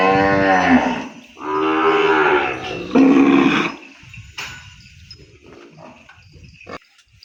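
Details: A calf cut off from its mother in the pen cries for her with three loud, sustained, harmonic moos in close succession, followed by quieter rustling and pen sounds.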